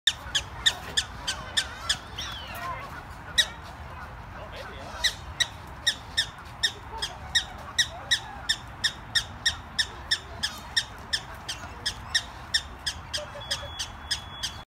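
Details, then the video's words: A black-tailed prairie dog at Detroit Zoo on 28 February 2021 keeps chirping, giving sharp, high chirps about three times a second. "Black-Tailed Prairie Dogs at Detroit Zoo 2/28/21"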